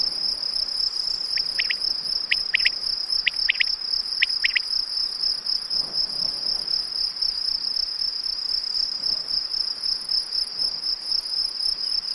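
Field crickets chirp close up in a steady, shrill, high-pitched trill that runs without a break. A few brief, lower clicks come in pairs early on.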